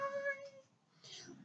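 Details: Maine Coon at a single-breed cattery in Saint Petersburg, Russia: one clear, steady, tonal meow lasting about half a second, followed after a short pause by a soft breathy hiss-like rustle.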